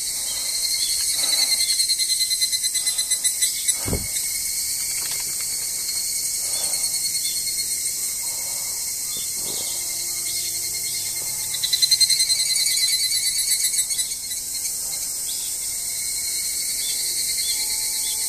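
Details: Higurashi, the evening cicada, singing beside the parking lot of Izumi Nature Park on 20 August 2012: a steady, shrill, high-pitched chorus of rapid pulsed trilling that swells louder for a couple of seconds near the twelve-second mark.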